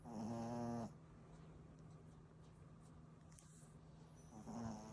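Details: Sleeping dog snoring: a loud, droning inhaled snore lasting almost a second, then a quiet stretch with a low steady hum, and a second snore starting near the end.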